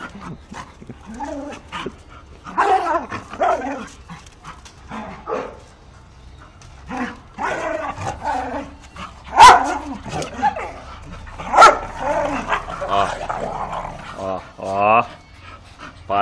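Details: Bull terrier puppies, several young dogs at a Brazilian kennel, giving short yapping barks and yips with some whining, mixed with a woman's voice speaking Portuguese, telling them not to bite and to sit.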